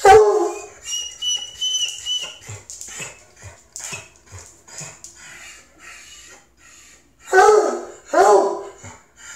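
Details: Male Treeing Walker Coonhound at the vet, excited and restless, eager to sniff other dogs. A loud harsh bark or yelp opens, followed by a string of soft short whimpers and snorts. Two more loud, strained yelps break out near the end.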